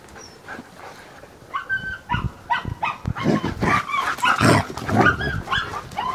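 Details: Alaskan Malamute puppies living with their parents at a breeding kennel give overlapping high, wavering whines and short yips in quick irregular bursts, growing louder and busier toward the end.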